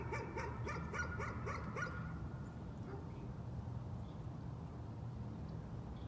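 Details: Dog, nuisance barking: a quick run of about eight sharp, high yapping barks in the first two seconds, then only a steady low background rumble.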